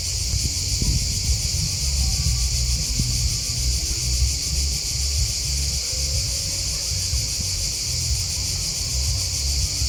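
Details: Continuous high, pulsing drone of chirping crickets in a natural setting, steady and unbroken, over a bed of low rustling and rumbling background noise.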